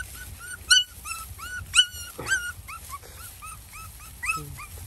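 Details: Mother dog and puppies in a village, very hungry, at feeding time: rapid strings of high, upward-bending whimpers and yelps, several per second, some sharper and louder, over faint outdoor hum.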